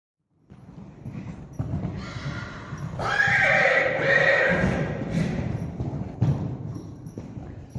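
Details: Friesian horse colt in a herd whinnying, a loud, harmonic neigh of about two seconds that falls and wavers, amid hoof clatter and shuffling before and after.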